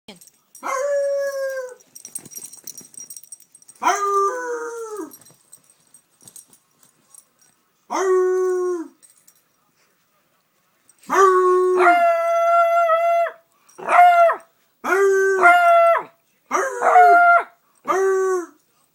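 A beagle gives drawn-out, tuneful baying barks, each held about a second, in irregular bursts.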